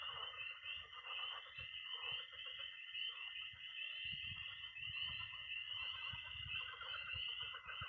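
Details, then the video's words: Frog and toad chorus at night in early spring in Missouri: peeping tree frogs, pond frogs and trilling toads. A dense, continuous high trilling band with overlapping peeps, plus lower pulsed croaking and low rumbling underneath. "Relaxing sounds. 20 minutes of toads and frogs, sound only!"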